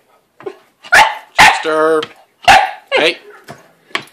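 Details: {'caption': "Pet dog Chester barking at Lizzie, a cat hiding in her play house: a few sharp barks mixed with a drawn-out whining, voice-like sound and a person's voice nearby."}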